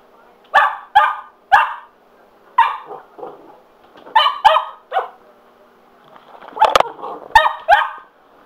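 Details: Cocker Spaniel named Sugar, indoors, excited by a spin mop: single and doubled high barks with short gaps, some clattering taps between them, and brief human voice sounds near the end.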